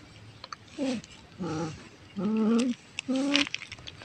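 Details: Orange cat while hunting prey: four short harmonic, wavering cries, each under half a second, rising then dipping, spaced about half a second apart, with faint clicks and background hiss.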